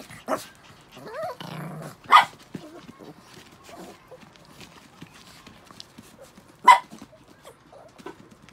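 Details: Six pet Chihuahuas after a shampoo, giving short sharp barks and yaps in a few bursts, with softer whines and rustling between them indoors.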